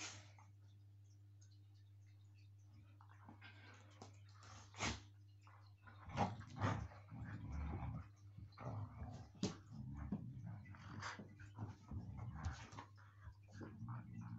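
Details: Siberian Huskies at play, biting and pulling: quiet scuffling at first, then from the middle onward a run of low, rumbling growls with brief sharper bursts, indoors with a constant low hum underneath.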